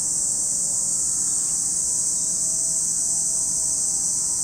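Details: Continuous shrill drone of cicadas by Lake Kamo, Sado City, Niigata, Japan, a dense high band that never pauses across the short stretch, over a quiet low-frequency background.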